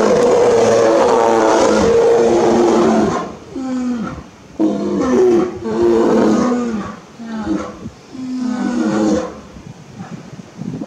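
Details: Two male brown bears, Goro and Ichiro, at Ani Bear Park Kumakumaen, roaring at each other in threat on 29 October 2022 without truly fighting; loud harsh rough roars with banded tones, in bursts separated by short pauses.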